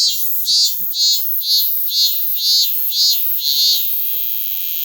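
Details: Cicadas outside a house in Tokyo in summer sing a loud, shrill, high buzz that swells in pulses about twice a second. This chorus goes on for about two months every year unless it is raining or cold.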